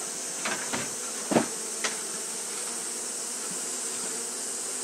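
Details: Steady droning buzz of fanning Japanese honey bees in hot weather, interrupted early by several sharp knocks or taps, then settling back into an even hum beneath a high hiss.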